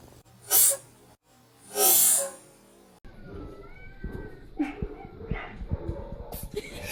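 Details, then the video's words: Pet cat sneezing twice, two sharp, breathy bursts about a second and a half apart, followed by a person's voice and light household noise. "cats are sneezing"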